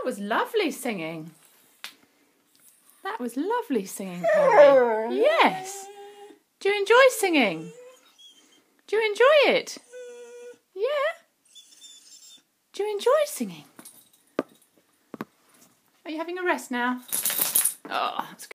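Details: Perry, a pet whippet, sings along with a saxophone indoors: wavering, whining howls that rise and fall in pitch, come in phrases of one to two seconds, and are split by short pauses.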